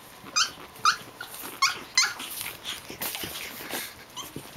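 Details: Japanese Chin puppies from Ni Kokoro, including Hestia, Fizzz, Asti and a baby girl, playing together; a few short high squeaky yips rise above scuffling and rustling, with softer chatter between them.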